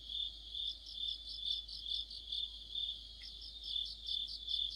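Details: Crickets with other insects chorusing on an autumn night by a streetlight: a shrill, steady trill with slightly uneven pulses near two per second and one short faint chirp late on.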